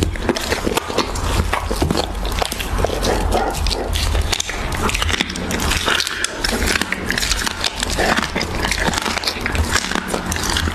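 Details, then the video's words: Siberian Husky eating raw beef, ASMR mukbang style: a dense, continuous run of wet smacking, licking and crunching clicks, loud and close, over a steady low hum. "Husky ASMR | Mukbang eating raw beef"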